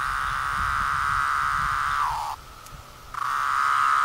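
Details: Brood V 17-year periodical cicadas in Cleveland, Ohio, 2016, recorded around moulting: a steady droning whine that dips and cuts out for under a second, then resumes at the same pitch.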